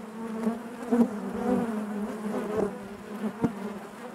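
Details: Continuous buzzing of honey bees within the hive, a low droning hum overlaid by short louder passes of single bees, a few sharp ticks standing out.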